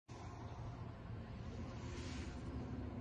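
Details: Steady low rumble like passing traffic outdoors, with no animal sounds.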